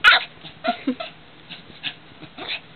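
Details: A pet dog reacting with short vocal grumbles and whines after someone audibly sniffs her, as another dog would; she does this every time. Brief bursts of sound, one sharp onset then scattered short growly notes, with a person's voice nearby.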